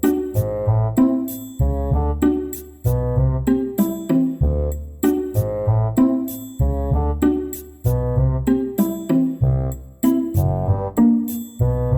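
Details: Gentle keyboard tune with bouncy piano or synth notes in short repeating phrases and tinkling high accents; only music, no animal sounds.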